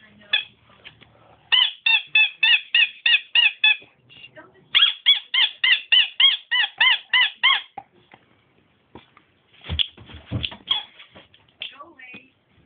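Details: Nemo, a dog that squeaks instead of barking, lets out two quick runs of high, thin, evenly spaced squeaks, roughly eight and then eleven in a row, followed by a few thumps and softer squeaky notes.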